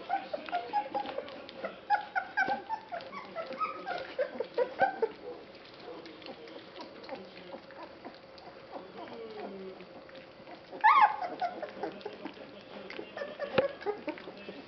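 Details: Three-week-old Basset Hound puppies of a Polish kennel litter at feeding time; a chorus of overlapping whines and squeals rising and falling, quieter through the middle, then a sharp loud yelp and more squeals, with faint clatter.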